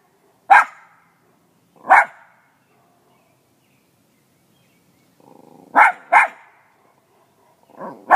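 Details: A small dog with a big voice gives sharp, loud single barks at first, spaced over a second apart, then a faint low rumble and a quick pair of barks, ending with a whine into another bark.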